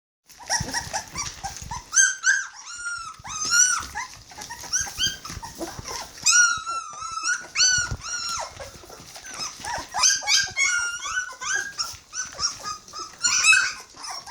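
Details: Hungry Border Collie puppies, 21 days old, crying together: a chorus of high, wavering squeals and whimpers that rise and fall, overlapping constantly, with a few brief louder yelps and short pauses between bursts.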